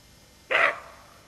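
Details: A watchful female roe deer (Capreolus capreolus) with her fawn gives a single hoarse, gruff alarm bark, alert and warning of danger, against a quiet background.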